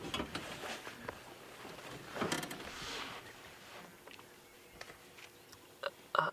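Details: Mechanical clicks, rustles and faint vehicle or indoor noise, with no animal calls.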